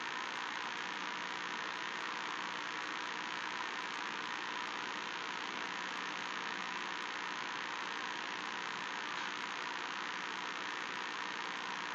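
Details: Steady broadband hiss and hum like an idling engine, unchanging for the whole twelve seconds, with no animal voice standing out.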